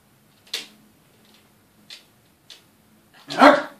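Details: Yorkshire Terrier indoors, one of a male and female pair where the female keeps terrorising the male; a few soft clicks and taps, then one loud sharp bark near the end.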